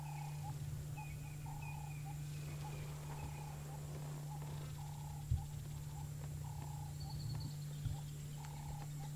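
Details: A squirrel gives an alarm call at sunset in Djuma Game Reserve on 10 August 2017 as a lion pride passes: short, sharp mid-pitched notes repeated steadily over a loud, low vehicle engine rumble.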